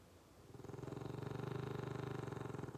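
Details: Sleeping dog, twitching in its sleep, gives a low rapid fluttering snore that builds after half a second of quiet and holds steady as a pulsing rumble in a quiet indoor space.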